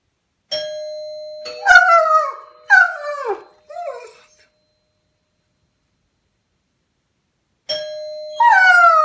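A doorbell rings with a steady bright tone, and a German Shepherd answers with a run of short, sliding howls that drop in pitch. The chime sounds again near the end, and the dog starts howling once more.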